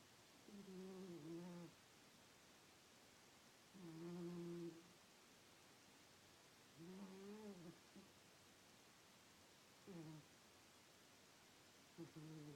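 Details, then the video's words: Sleeping cat called Miss snoring steadily, each low, nasal, humming breath lasting about a second and recurring roughly every three seconds, some ending in a slight downward slide; the room is otherwise quiet. "Miss snores"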